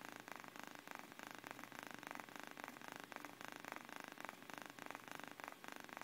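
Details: Napping cat called Miyuki purrs with a soft grainy rumble that swells and fades in short regular waves, roughly three per second, close up in a quiet setting.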